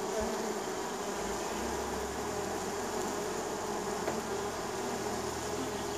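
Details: Many honey bees buzzing as they arrive at a neighbour's hive in spring; an even, layered wingbeat hum, with a lower droning bee moving close by partway through.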